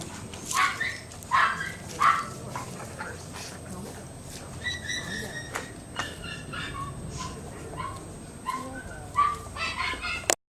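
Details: Newton, an adoptable dog at Puget Sound Rescue, lets out three sharp, high yips in quick succession early on, then softer scattered yelps, with a person talking and praising him throughout.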